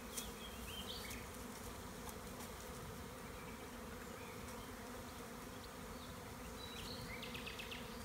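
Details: Honey bee swarm, split from an overcrowded hive with its queen, being removed from a tree by a beekeeper in Tuscany's Maremma: a continuous low buzzing drone, with brief high bird twitters at the start and end.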